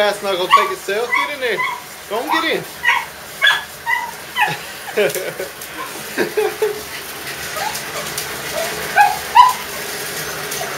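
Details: Digger the dog, excited about bath time and loving to attack water, lets out rapid rising-falling whines and yelps, several per second early on, then sparser, with a person speaking in the background.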